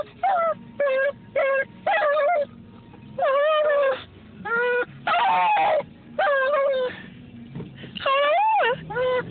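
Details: Sophie, a pet beagle, cries out for attention: a run of loud, whining howls, each rising then falling in pitch, about a dozen bursts separated by short pauses, with faint room noise between them.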